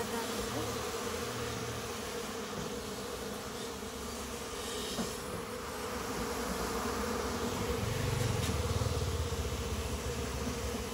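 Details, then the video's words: Honey bees nesting inside a goat shed at a farm house, found during a hunt for local honey; a steady, droning buzz holds throughout, swelling louder near the end over a low background hum. "Bee hunting in the farm house ॥ inside the goat’s shed honey bee"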